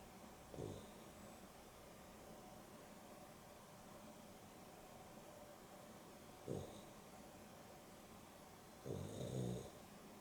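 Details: Afternoon nap of pet dogs Dexter and Rio, a Boston Terrier and a Beagle cross, with Dexter snoring: three scattered snorts, the last a longer rattling double breath, separated by quiet stretches of low background hum.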